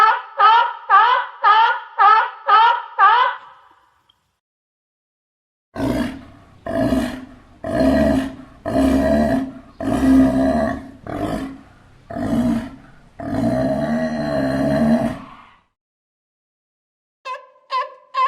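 A sea lion gives a quick run of harsh barks, then louder, drawn-out roaring barks.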